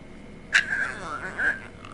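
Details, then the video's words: Male Boston Terrier Mackie, begging for macaroni and cheese, gives one drawn-out, steady, high whine lasting about a second, slightly wavering near its end, after a person asks what he wants, in a small quiet room. "Mackie Boston Terrier dog wants mac & cheese!"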